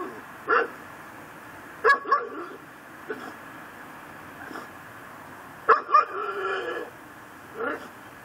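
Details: Pit bull tied to a post in a Louisiana yard on December 24, 2012, around midnight, barking day and night: sharp single and doubled barks at irregular intervals, about eight in all, over steady background hiss.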